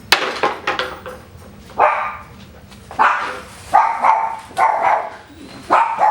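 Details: Coton de Tulear puppies, a tri-colour litter indoors at a breeder, stirring after being woken. Short harsh yips and whines come in bursts about once a second, with a few sharp clicks at the start and faint human voices.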